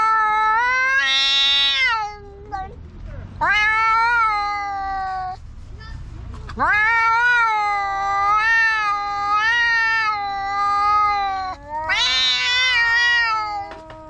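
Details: Black stray cats in a park quarrelling at full voice, a series of long yowls separated by brief pauses, each starting with an upward sweep and wavering, with quiet rustling in the gaps.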